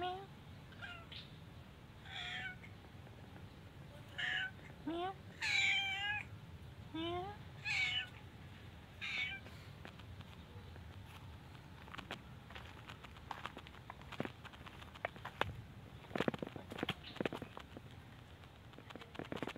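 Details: Pagoda cats, mothers with their kittens, begging for food: a quick run of about eight rising-and-falling meows in the first nine seconds, then clicks, clatter and quieter moments.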